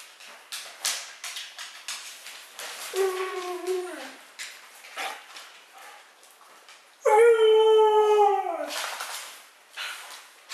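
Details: Female Siberian husky howling back at its owner indoors in a back-and-forth exchange. Two drawn-out, harmonic, falling yowls, one short and one longer and louder. Earlier, the owner speaks, with faint music and shuffling sounds.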